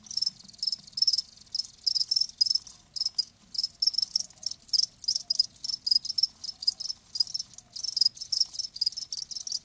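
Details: Live crickets giving shrill, high chirps in quick pulsed bursts, clustered and overlapping, roughly two or three bursts per second with short silences between, faint low rumble underneath.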